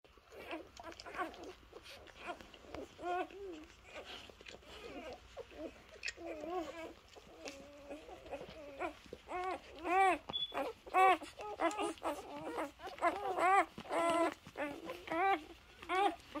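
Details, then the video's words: Three-day-old Labrador Retriever puppies, sleepy, giving soft high whines and squeaky yelps, sparse at first then denser and louder in the second half, with a quiet background hum. "Puppy ASMR. cute Labrador puppies 3 day old puppies"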